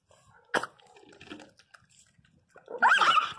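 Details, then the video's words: Angry miniature pinscher puppy being handled by people indoors. A sharp bark-like burst comes early, then a harsh, rising, snarling whine near the end, with quiet handling noises and soft voices between. "Filhotes de cachorro pinscher mini bravo puro ódio"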